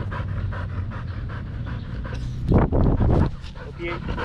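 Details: Rapid rhythmic panting from Danny, a Belgian Malinois playing fetch in Cebu, Philippines, with short breaths several times a second, broken midway by a louder burst of human voice before the panting resumes.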